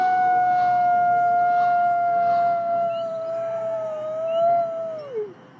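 A wolf gives a long, steady, mournful howl that ends in a quick downward slide.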